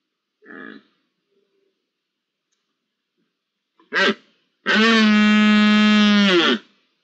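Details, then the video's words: Red deer roaring in the rut, first week of October: a short hoarse lead-in call, then a loud, steady, richly harmonic roar lasting about two seconds with a low rumbling undertone, ending abruptly; a brief faint call precedes them. "Berrea en la primera semana de octubre"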